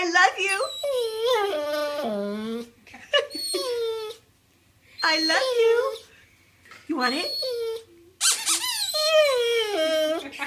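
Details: Pet dog Otis keeps up a drawn-out, talkative howling whine asking for a new toy, with warbling harmonics, falling and rising tones, and a couple of short pauses, in a small room with a human voice mixed in.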